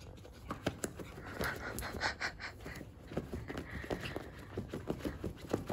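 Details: Dog panting in quick, rhythmic breaths, a run of short breathy bursts repeating through the clip, recorded indoors while the dog is being teased with a pillow; faint voices in the background.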